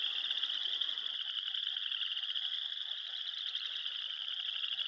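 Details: On an early spring morning at a beaver pond on the Moss Lake Trail, Elk Island National Park, Alberta, a dense frog mating-season chorus of high rasping trills forms a steady shimmering drone; beavers chew bark unheard beneath.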